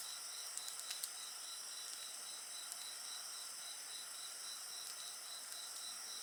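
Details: Continuous shrill chirping of many insects, with one lower band pulsing in quick regular beats, beside a bonfire heard as faint, occasional light crackles.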